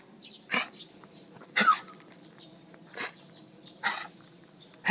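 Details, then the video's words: Dog with a hacking, gagging cough as if something is caught in its throat, with retching: five harsh, breathy bursts, about one each second. Faint bird chirps are in the background. "강아지 기침"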